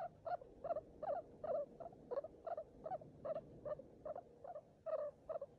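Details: Baby skinny guinea pig, a hairless pet abandoned by its mother and bottle-fed milk by hand, which lived only ten days, giving short squeaky chirps with a buzzy edge in a steady run, about two or three each second.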